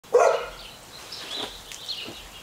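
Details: A pet dog barks at a dead baby possum it has found: one sharp, loud bark near the start, followed by quieter rustling and faint background sounds.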